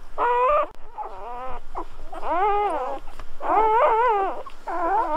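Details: Newborn Golden Retriever puppies at birth, squealing in a litter: high, wavering harmonic squeaks rising and falling, in bursts of about half a second to a second separated by short pauses, several pups overlapping.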